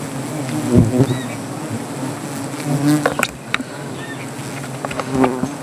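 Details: Angry honey bees around a wild native hive being cut for honey under a tree, Gazipur: a constant low drone with close bees zooming past in louder swells, plus sharp clicks and brief faint whistles.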